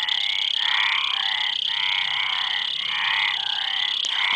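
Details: Chorus of frogs giving rapid rasping croaks, about three to four per second, rolling and overlapping, with a persistent shrill drone and a faint click near the end.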